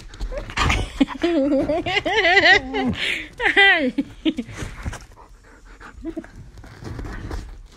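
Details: A nine-and-a-half-month-old Siberian husky gives wavering, yodel-like whines that rise and fall in pitch, with a person talking nearby.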